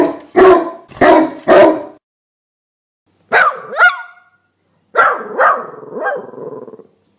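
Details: Dog barking: three quick gruff barks in a row, a pause, then higher yelping barks with rising and falling tones in two short groups.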